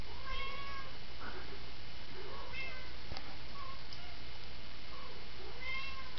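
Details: Domestic cat described as worried, meowing repeatedly: about six short, bent, harmonic-rich mews spaced roughly a second apart, some rising then falling, against a constant low droning hum.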